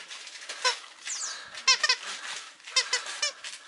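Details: Male Mame Shiba Inu puppy at a breeding kennel in Japan gives several short, high, squeaky whines with bright harmonics, in small clusters about half a second apart, over faint room noise.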